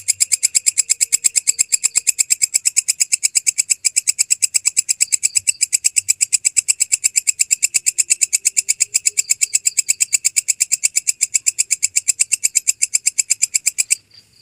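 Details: Original belalang kecek grasshopper recording used to train songbirds: a long, steady run of sharp, high, rasping pulses repeated about three times a second for roughly fourteen seconds, then stopping abruptly.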